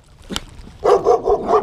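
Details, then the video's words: Small dachshund (wiener dog) barking at two very large German Shepherds outdoors: a faint click, then four quick, sharp barks in a rapid burst. "My little wiener dog is barking at 2 of the biggest German Shepherds I think I've ever seen in my entire life."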